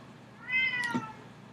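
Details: A Bengal cat in the background indoors gives a single drawn-out meow that rises and then slides downward.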